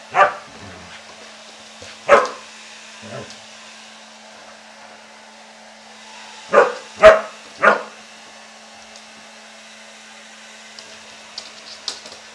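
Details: Pet husky Ari barks at a running hair dryer following his bath, giving irregular clusters of short yelping barks with quieter grunts between them, the dryer droning throughout.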